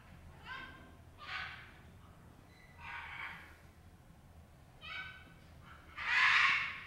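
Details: Kintaro, a gorilla at Kyoto City Zoo in Japan, squeals loudly in fury at his mother Genki on 16 January 2022; five harsh, harmonic cries in separate bursts over several seconds, the final one longest and loudest.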